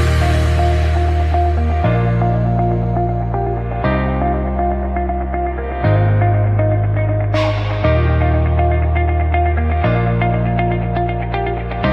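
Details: Loud ambient music with a deep bass line shifting every two seconds beneath sustained tones and light guitar-like notes.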